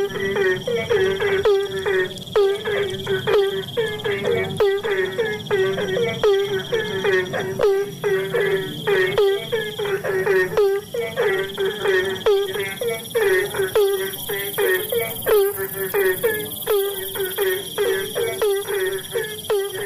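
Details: In the rainy season, Asian common toads call in a dense chorus of low, rapid croaking notes repeated without pause.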